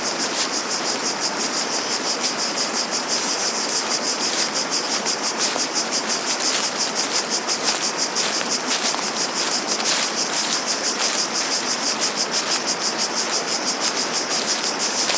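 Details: Cicada chorus in the open air, a high, hissing buzz rising and falling in rapid pulses roughly three per second, laid over a steady rushing wash of noise with a few brief clicks.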